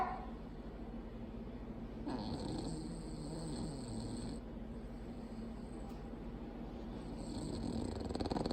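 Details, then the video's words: A sleeping female Bulldog snores loudly with a continuous low, rattling rasp. Brief airy hissing swells rise over it at intervals. "LOUDEST Snoring Bulldog"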